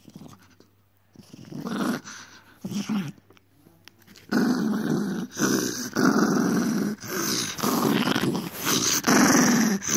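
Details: Miniature Dachshund being naughty indoors, growling in a low, rumbling, near-continuous stream that grows louder after a few seconds of short broken growls, with brief rises in pitch and faint room noise.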